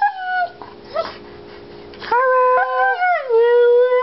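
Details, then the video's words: Two Siberian Huskies, Haro and Federer, howl together while lying down. Clear tonal howls hold steady, then slide downward, and are broken by short pauses and overlapping voices. "Husky Howling Choir"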